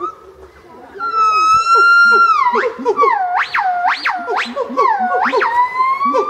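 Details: A black-crested gibbon (Nomascus concolor) calls, giving a long pure note then a run of rapid, swooping upward whoops.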